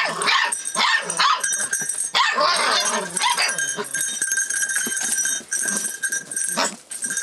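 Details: Rough Collie puppy, 44 days old, recorded 25 February 2012 while reacting to its surroundings; a busy stream of high-pitched yaps and brief whines, loudest in the first half.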